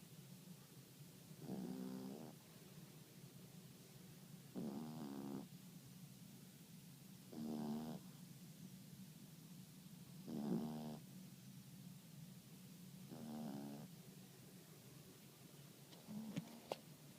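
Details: Yorkshire terrier snoozing at midday, snoring steadily: six rhythmic, rattling inhalations about every three seconds, each a buzzy half-second rasp, with a couple of faint clicks near the end in a quiet room.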